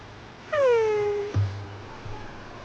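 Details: Baby kitten just waking from sleep gives a babbling sound: one drawn-out tonal cry, rich in harmonics, sliding gently downward for under a second, followed by a soft low thump in a quiet indoor space.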